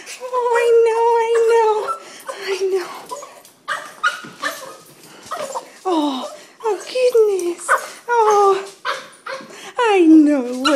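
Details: Excited pet dog greeting its owner on return home with a long run of strange, drawn-out whines and yelps, some steady, others sliding sharply down or up, broken by short pauses while a woman talks soothingly over it.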